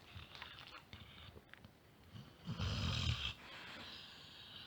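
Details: A sleeping Labrador snoring loudly enough to be heard through the whole house, with soft breathy rasps at first, then one deep, loud rumbling snore lasting under a second, followed by a quieter exhale.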